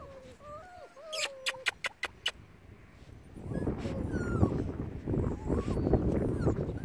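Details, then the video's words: Six-week-old male Bernese Mountain Dog puppies give thin rising and falling whimpers near the start, followed by sharp knocks and then a stretch of rustling and low murmuring with a few faint squeaks. "Mâles bouvier bernois de la colline d'eole"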